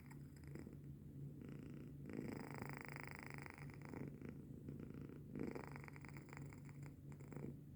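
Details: Denok, a pet cat, sleeping and snoring at 3:45 am on 14 January 2025. Continuous low rumbling purr-snore in drawn-out breathy waves, rising and falling with each breath over a constant background hum.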